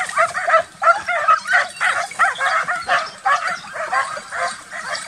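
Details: Several young Transylvanian Hounds barking during summer wild boar hunting training; a steady chorus of sharp, yelping barks, about one and a half per second, overlapping voices blending into continuous baying.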